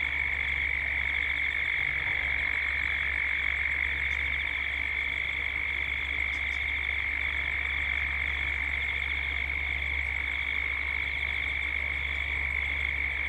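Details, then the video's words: Dusk chorus of cicadas in Gippsland, Australia, in a 3D ambient recording: an unbroken high whine with a faster throbbing overtone. A few faint high ticks, possibly birds, and a low steady hum underneath. "Cicadas at dusk"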